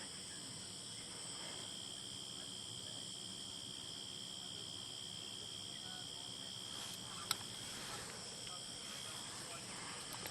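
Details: Cicadas calling on a peaceful evening at sunset in the African wild: a steady, continuous high-pitched drone with several even tonal bands, unbroken throughout, under faint low rumble and a soft speaking voice.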